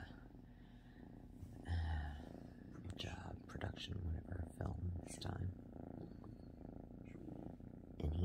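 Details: Cat's continuous low purr runs throughout under louder thumps, rustles and clicks, probably handling noise, with short sharp bursts scattered across the middle section.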